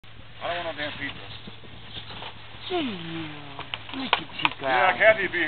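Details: Playful puppies yelping, with high whines that slide downward, several short bursts and a longer falling whine near the middle, over a steady low hum and scattered scuffling.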